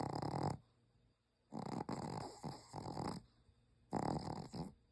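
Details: Sleeping Pomeranian snoring: three bursts of harsh, rasping breath noise, the middle one broken into several pulses, separated by near-silent pauses.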